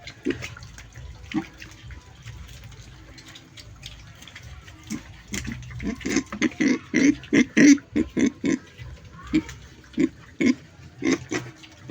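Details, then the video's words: Pig making a funny noise: after a quiet start with faint low rumbling and a few isolated grunts, a fast run of short, harsh grunts follows, roughly two per second, growing louder toward the end. "Funny noise of piggy sound"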